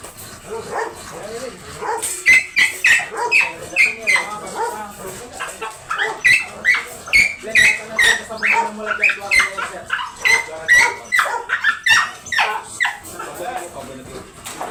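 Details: Dobermann dog during a stud service in Bunuan, Dagupan City, Pangasinan, giving a rapid series of high, tonal whining yelps, about two per second, with human voices talking in the background.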